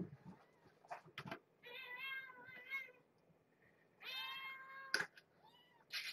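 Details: Mother cat with kittens in a box inside a cage at dinner time, meowing at a person bringing food: two long drawn-out harmonic meows, then a shorter rising one, amid clattering and soft handling noises.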